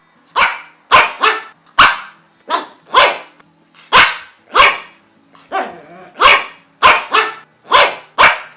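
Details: Quick bright barks from a pug, about thirteen crisp yaps coming in pairs and singles, plus one lower rough growling bark midway.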